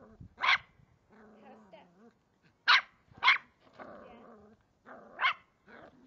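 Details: Cavalier King Charles Spaniel puppy, three months old, ferociously attacking a water bottle, lets out spaced shrill barks amid low rumbling growls and whining, with soft human talk in the background.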